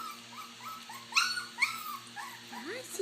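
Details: Puppies eating mash make quick, thin whimpers in rapid succession, with a couple of sharper yelps and a final upward-sliding whine.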